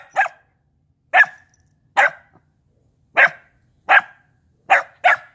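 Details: A corgi running around the yard gives a series of short, sharp, mid-pitched barks, abrupt and clipped, about one per second at an uneven pace with a few longer pauses.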